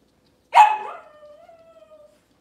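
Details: Cavalier King Charles Spaniel indoors in a kitchen with puppies and mothers on a cloudy morning: a single loud bark that trails off into a long, level, whining tone lasting over a second.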